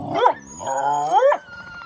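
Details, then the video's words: A coyote at Aspen Valley Wildlife Sanctuary gives a short, wavering howl that swoops up and down in pitch. "Coyote Howl"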